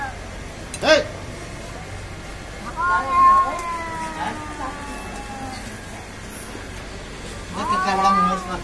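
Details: Cats fighting: long, drawn-out harmonic yowls held for about three seconds and sliding slowly downward, a sharp brief cry near the start, and another wavering, rising yowl near the end over steady background hiss.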